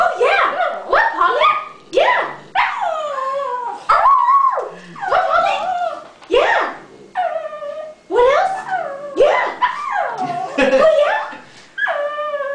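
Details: Pet dog Paulie 'singing' in a run of short yelping, whining howls. Each bursts out, bends upward then falls, separated by brief pauses roughly every second, with a human voice joining in between.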